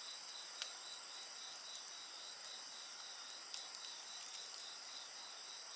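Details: Insects singing alongside a crackling bonfire: several steady, shrill, high-pitched trills layered in continuous bands, broken by sharp snaps and pops from the burning wood.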